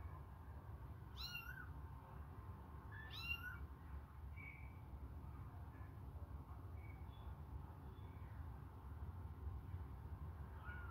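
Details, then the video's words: Hungry kittens suckling on a finger give two clear, high mews with rising-then-falling pitch about two seconds apart, followed by softer, shorter mews, over a steady low rumble. "babies hungry they suckle my fingure"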